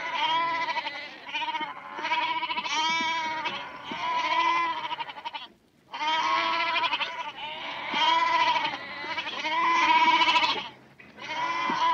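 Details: Goats at Berkeley Lab recorded up close, several overlapping loud wavering bleats with rich harmonics, nearly continuous, broken by one brief pause near the middle.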